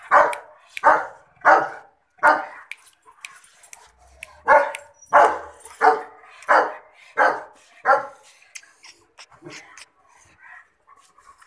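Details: German Shepherd barking: a regular series of about a dozen sharp, mid-pitched barks, roughly one every 0.7 seconds, pausing after four, then fading into softer, scattered sounds near the end.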